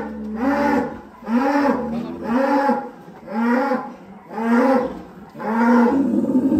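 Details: Large cattle in a pen at a livestock contest in Indonesia, mooing repeatedly: six low, hoarse, drawn-out moos about once a second, each swelling and fading, with faint background noise.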